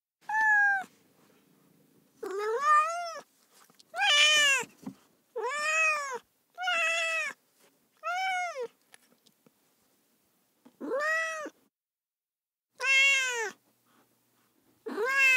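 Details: Repeated loud cat meows, about ten drawn-out arched cries, some strained and whiny, following one another every second or two against a quiet background.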